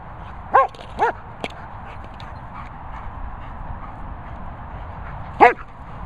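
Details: Lucy Cooper, a German Shepherd, gives two quick barks half a second apart, then falls silent before a single louder bark near the end; faint steady background noise.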